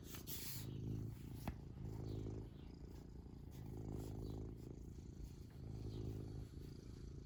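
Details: Contented pet cat's purr, a deep, buzzy, continuous rumble rising and falling with each breath roughly every one and a half seconds, with a single sharp click and some light rustling early on.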